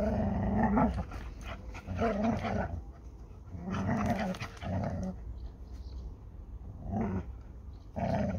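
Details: A Labrador Retriever and a Hungarian Vizsla, Málna and Ede, struggle over a ball. Throaty, wavering growls come in bursts about a second long, separated by short pauses, with some indoor scuffle noise.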